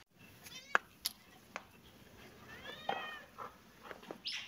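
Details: Kitten and cat playing together in a happy mood; short harmonic meows early on, then a longer arching meow mid-clip and a brief high squeak near the end, amid sharp clicks and knocks from play indoors.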